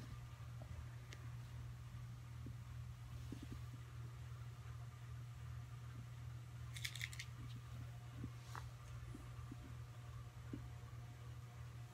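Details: Steady low fan hum fills a quiet small room, broken only by faint scattered clicks and a brief soft rattle; no animal voice.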